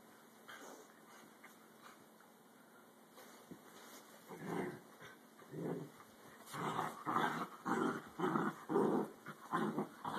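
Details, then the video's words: Dachshund fight: after about four quiet seconds, rough, harsh snarling growls break out in bursts. They grow louder and more frequent, reaching roughly two a second by the end, with a steady faint electrical hum in the background. "Dachshund fight"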